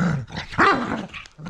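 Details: Rough play between two rescue dogs: a low rumbling growl rises into a short, strained bark-like yelp, then drops back to grumbling.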